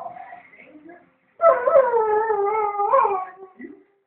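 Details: Home-alone dog howling during its owner's brief trip to the shop: soft whimpering at first, then a sustained, quavering howl of about two seconds that bends upward near its end before trailing off.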